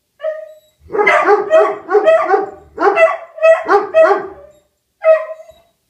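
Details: Two dogs, Rufus the Beagle and Axle the German Shepherd, howling in response to a tornado siren: rapid bursts of harmonic, yelping bays in quick runs, separated by short pauses, with a final drawn-out cry after a brief silence.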